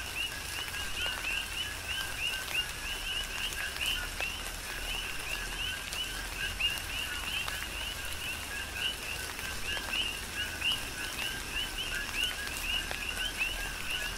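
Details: Tropical rain shower on Hawaii's Big Island with a chorus of coqui frogs, numerous short upward-sliding whistles repeating steadily and overlapping, over an even wash of falling rain and occasional drop clicks.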